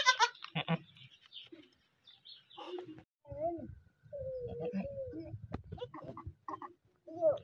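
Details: Beetal goat with a newly born kid in a village: a drawn-out, level bleat in the middle, with shorter bleats around it and people talking over and between the calls.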